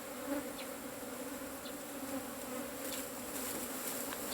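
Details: Steady droning hum of Asian honey bees from a hollow-nesting colony during a honey harvest, with faint scratchy crackles late in the clip.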